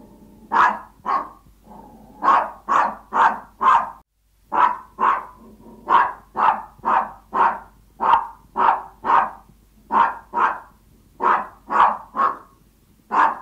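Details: Yorkshire Toy Terrier begging its owner out of hunger: persistent sharp yapping, roughly two barks each second, continuing almost without break, occasional doubled yaps.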